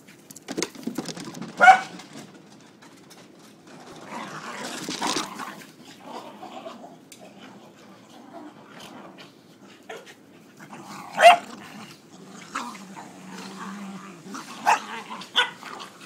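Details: Corgis (Canis lupus familiaris) play fighting: sharp barks break through low, rumbling growls and scuffling.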